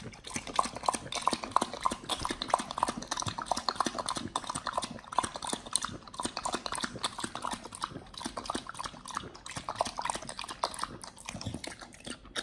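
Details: Pit Bull dog eating raw quails as raw food. Dense, fast crunching and wet bone-cracking chews, several each second, run steadily throughout with no other clear sounds.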